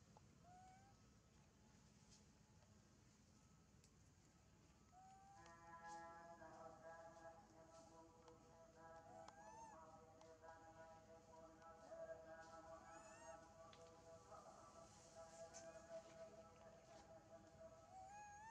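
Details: Hungry injured baby monkey named Janna, her lip hurt, begging for food with a quick series of whining cries and thin rising squeaks after a quiet opening, the calls overlapping and growing busier toward the end.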